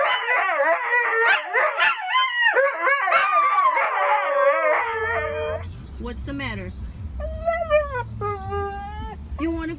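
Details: A husky-type dog singing: several seconds of wobbling, warbled howls with rapid pitch swings, then quieter separate rising whines over a low, steady hum.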